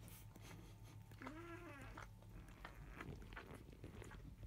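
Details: Five-day-old field-type Labrador Retriever puppies, a litter born to 2017 JFA grand champion Biscuit, indoors. One puppy gives a single drawn-out whining squeal lasting under a second, arching gently in pitch, amid soft rustling and a steady electrical hum.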